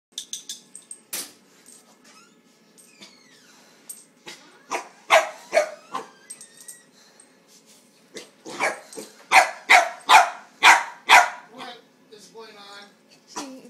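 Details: Corgi meeting a cat for the first time, giving a run of short sharp barks in bursts, several quick barks per second, with pauses between volleys and faint household noise.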